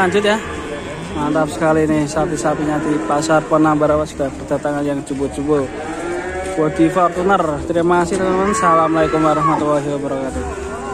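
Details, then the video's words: A wild, fierce cow kept by Indonesian cattle farmers gives repeated bending, harmonic moos in short bursts, several overlapping, some rising and falling sharply, above a low steady hum, with faint talk in the background. "SAPI GILA GALAK"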